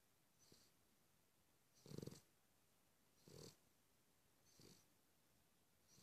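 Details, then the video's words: Sleeping Cavalier King Charles Spaniel snoring steadily, low rasping breaths with an airy hiss about every one and a half seconds, the second snore the loudest, in a quiet room. "Cavalier King Charles Spaniel - snores, snores, snores"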